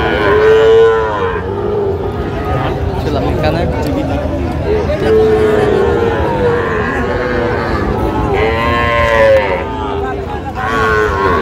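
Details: Sahiwal bull calves, about six to seven months old, at a cattle market in Cumilla, Bangladesh, during sale bargaining; several drawn-out tonal moos, one near the start and more around six and nine seconds, under steady crowd chatter and speech.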